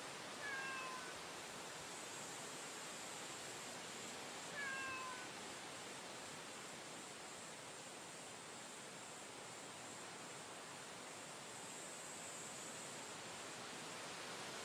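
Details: Female stray cat encountered on a street during the day utters two brief, downward-sliding meows roughly four seconds apart, followed by a long stretch of steady outdoor hiss.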